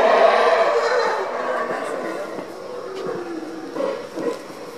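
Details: Howler monkeys at the entrance to Tikal park in Petén, Guatemala, give a deep, rasping roar that swells and fades like distant wind.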